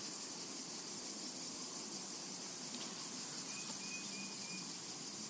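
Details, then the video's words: Steady cicada buzz in a summer meadow, high and hissing with gentle pulsing, joined in the second half by a short series of clear level whistled notes from a bird. "Summertime and Cicada Ambience to Relax to"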